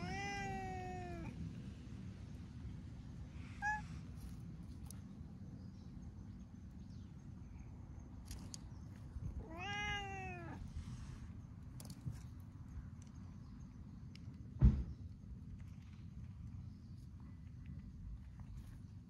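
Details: Meows from stray cats basking together in the sun, with an orange tabby that is fond of cats and people: one meow opens, a faint brief one follows, then a stronger arched meow midway, over steady low background noise and a sharp click.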